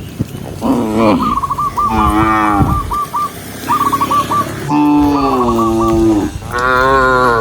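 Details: Tame herded cows move along a green forest path and low repeatedly, in long moos that bend in pitch. Short bursts of repeated chirps fill the gaps between calls.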